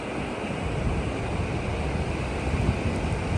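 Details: Steady roar of surf and wind buffeting the microphone at a beach, with no animal voice heard.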